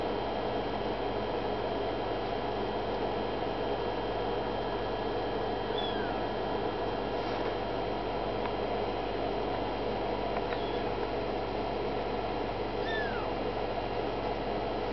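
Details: Nagi's kittens, 26 days old, give a few faint, thin, high mews that slide downward, one near the middle and another near the end, over a steady indoor hum.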